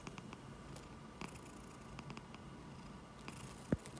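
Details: Domestic cat snoring and purring while asleep on a person's palm, recorded 20 July 2021; a soft, steady low rumble runs throughout, broken by faint clicks and one sharp knock near the end.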